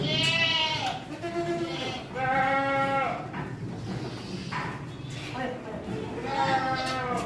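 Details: Young Saanen goat kids on a goat farm bleat in high, quavering bursts, several times over a few seconds.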